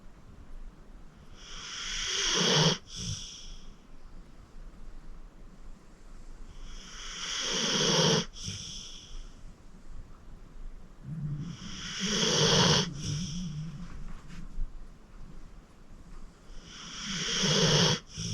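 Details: Sleeping senior pit bull named Acorn, 14 years old and rescued from the Cuyahoga County Animal Shelter, snores in steady cycles: four rising rasping inhales roughly every five seconds, each ending abruptly, with soft exhales between.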